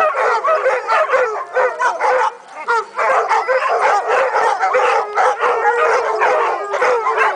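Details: Pack of dogs howling with mixed yips, barks and whimpering cries, voices overlapping in bursts, a brief lull midway, then a long falling howl carrying through.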